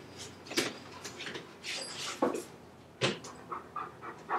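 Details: Leo, a chocolate Labrador Retriever home alone, breaking into the computer room, caught on a home camera: short breathy bursts of panting and sniffing at irregular intervals, mixed with clicks and knocks like a door or cupboard being moved.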